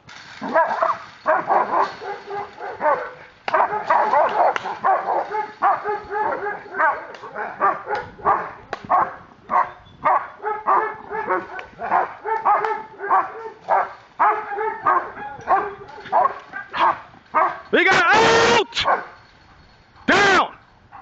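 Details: German Shepherd Ricon, a police dog in aggression control training with Miami K9 Enforcement, barks loudly and rapidly in dense, continuous volleys, with a few sharper yelps near the end and brief handler commands.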